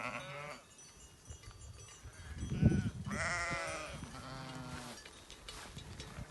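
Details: Merino sheep on a farm in Türkiye, offered ready for delivery, with a drawn-out nasal bleat rising over a low farmyard rumble near the middle, while a man talks nearby before and after.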